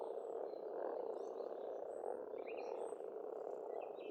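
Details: A pond in Estonia in spring, where a thick, continuous chorus of croaking frogs fills the air while birds add quick high chirps and short warbled phrases.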